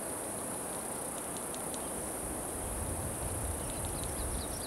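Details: Cicadas singing, recorded 26 June 2013, including Putnam's cicada, Okanagana bella and an unidentified saw-like buzzer. A continuous piercing high tone persists with scattered faint clicks, while low rumbling noise swells toward the end.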